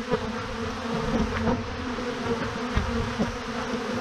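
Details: Honey bee swarm of thousands clustered in a huge clump on a branch: continuous low droning buzz, even in loudness, with brief soft clicks and rustles over the hum.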